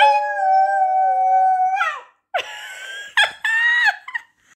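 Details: A young Pomsky (husky mix) puppy howls along with its owner, who howls first. It gives a high, sustained, wavering note for nearly two seconds before sliding down, then shorter rising and falling howls in quick bursts with the owner's voice.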